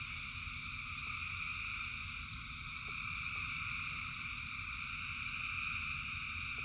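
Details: Countless frogs sing through the rain in an unbroken wall of high, buzzy trilling, even and continuous, with a few faint ticks and a deep, constant hiss and rumble of rain underneath.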